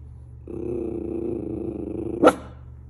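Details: Miniature Schnauzer looking out and barking at things: a sustained throaty growl lasting nearly two seconds breaks into a single abrupt, sharp bark, with a constant low hum underneath.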